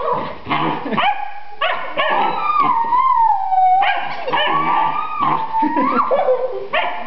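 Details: Pet Alaskan Malamute set off barking by someone's hard laughter, giving long, sliding, talkative howls that rise and fall in pitch, one held tone lasting nearly two seconds, with short yips between.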